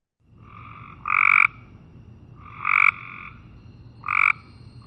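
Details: Cope's gray treefrog giving short, harsh, buzzy trills repeated every couple of seconds; flat in pitch and more continuous, with less distinct pulses than the gray treefrog.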